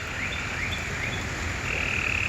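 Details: Frogs calling loudly beside a flooded creek during a rainstorm in Vestavia Hills, Alabama: steady high trills and drawn-out ringing notes stretch across the clip over a constant roar of rushing water.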